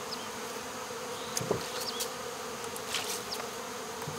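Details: Swarming honey bees being gathered into a box holding their queen at a local baseball field, after sugar water is rinsed off a wall; a continuous droning buzz punctuated by several knocks and rustling handling noises.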